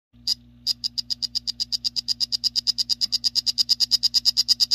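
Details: Male strawberry poison dart frog, 'Salt Creek' form, singing: after a brief opening buzz, a run of rapid, high, clicking-buzzy notes, about seven per second, growing steadily louder, over a faint low electrical hum.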